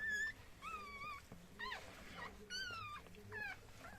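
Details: Newborn Chihuahua puppies at the moment of birth, squealing in thin, high whistled cries that rise and fall, several short squeals in quick succession with pauses, over faint room noise.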